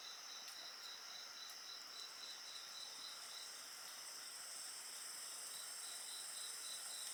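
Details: Night insect chorus beside a crackling bonfire: a steady train of high pulsed chirps at nearly four per second over continuous shrill, ringing trills, with a few sharp fire pops.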